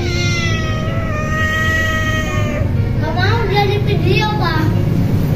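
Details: A shy stray street cat gives a long, steady, drawn-out meow of over two seconds. A man then speaks in Indonesian, coaxing it to eat. A low background rumble runs throughout.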